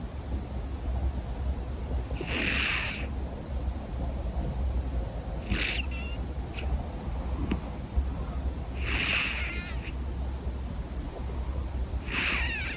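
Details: Sleeping cat snoring loudly, with breathy, hissing bursts roughly every three seconds over a steady low hum.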